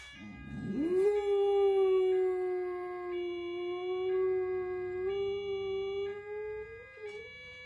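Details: Female Boxer dog howling in response to European siren sounds, which stir her up though American sirens do not; one long sustained howl holding a steady pitch with rich harmonics, wavering slightly and rising near the end.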